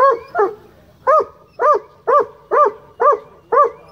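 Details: High-pitched barking from Boo, a black and tan rescue coonhound fishing at a county dog park, aiming his barks at fish; clear, ringing barks repeat steadily about twice a second, nine in all, over quiet background.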